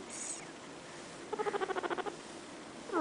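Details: A sleepy female guinea pig lying down gives a quick run of short, evenly pulsed squeaky notes.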